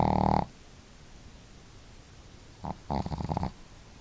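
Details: Two pet dogs at home, Marimo, a female with a hearty snore, and Daigoro, with a modest one, snoring together; a loud rattling snore cuts off early, then after a quiet gap a short snort and a fluttering, vibrating snore.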